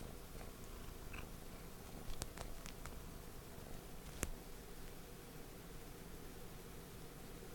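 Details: Pet cat Non-chan, who loves being held, purring indoors while wanting a cuddle: a soft, low, steady rumble running through the whole stretch, with a few sharp clicks near two and four seconds.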